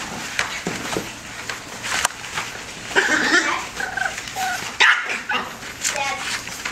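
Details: Bulldog puppies of the Rocko and Teerza litter, five and a half weeks old, playing and fighting indoors; short high yips and whining whimpers burst out near the middle and end over steady scuffling and scrabbling, with a voice in the background.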